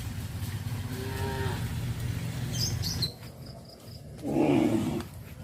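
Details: Cows on a traditional village farm, travelling along the village road to the livestock pen in the afternoon; a faint harmonic moo early on, then a louder short moo near the end over steady low rumbling background noise.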